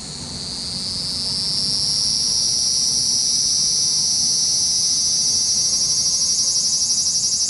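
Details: Cicadas in Japan, a loud high buzzing drone that swells over the first two seconds, then holds steady with fine rapid pulsing near the end.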